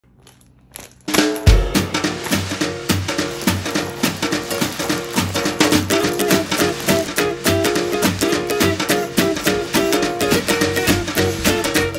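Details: Upbeat music with strummed ukulele and a steady drum beat plays in a small indoor room after a brief quiet start, with no animal sounds.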